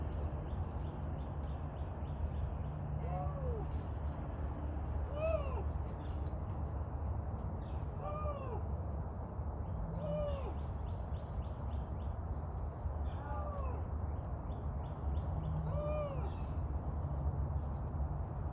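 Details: Captive Canada lynx at a big cat rescue, vocalizing at length: a series of about seven short, arched, wavering calls, each rising then falling, spaced roughly every two to three seconds over a low steady hum.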